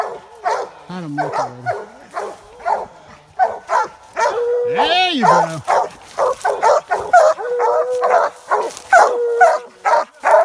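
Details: Hunting hounds, American Leopard and Treeing Walker, bay at a raccoon treed in a swamp, a chorus of rapid, musical barks and one long rising-and-falling bawl, with a person speaking briefly near the start.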